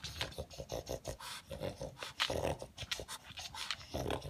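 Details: Indoor pug hunting leftover food pellets with a vacuum-like technique, giving a steady run of rough, rapid snorts and snuffles, some with a low grunting buzz, continuing without pause.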